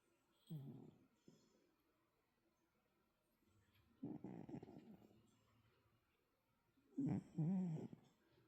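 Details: Snoring from Callie the cat: three separate low, gravelly bursts about three seconds apart, the last one louder with a slightly wobbling pitch, over faint room noise.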